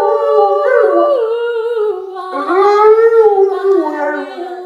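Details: Rottweiler howling along with its owners indoors, a drawn-out, wavering howl whose pitch swoops upward, drops, then climbs again in a continuous rising and falling line.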